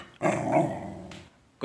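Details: Gnarlie, a female pet dog, during morning playtime indoors after being told to speak, gives a drawn-out, low, harmonic grumbling growl lasting about a second, followed by a short burst of noise.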